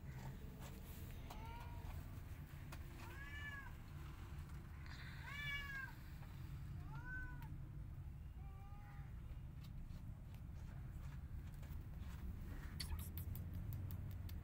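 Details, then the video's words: Angry white cat with a tiny kitten at her hut: a run of five short arched meows about every two seconds, then quiet, followed by clattering clicks near the end over low steady background noise. "Angry White Cat Is Not Happy When Tiny Kitten Try Come Inside Her Hut"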